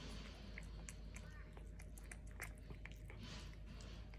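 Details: Domestic medium hair cat named Mabel working through a tuna can treat, giving sharp moist chewing clicks at an uneven quick pace over a low constant hum.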